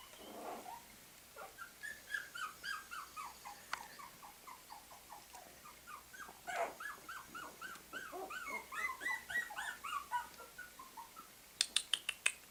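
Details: Several puppies keep up a busy chorus of thin, arching whines and squeaks, cries coming about three a second, growing denser toward the end where sharp clicking taps cut in.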